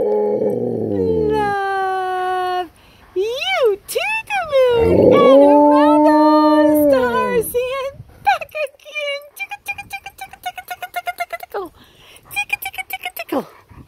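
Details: Tonka, an Alaskan Malamute, answering his owner's singing with long wavering howls that rise and fall, followed by rapid repeated yips and warbling vocal bursts about four per second; a woman's singing voice is mixed in.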